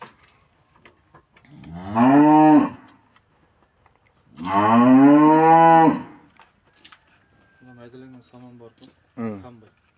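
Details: Cattle during a vet's procedure to clear metal objects from the stomach, indoors: two loud, drawn-out lowing moos, the second longer at about a second and a half, followed by softer, shorter grunting calls near the end.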